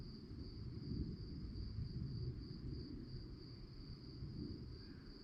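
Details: Crickets chirping at night: a sustained high trill made of regular rapid pulses, accompanied by a gentle low background rumble.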